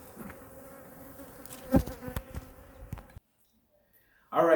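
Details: Honey bee colony in hive #2 during a winter weekly checkup, opened to check food reserves and for feeding: a steady low hum with layered overtones, broken by sharp knocks and clicks of handling, then sudden silence and a brief loud burst at the end.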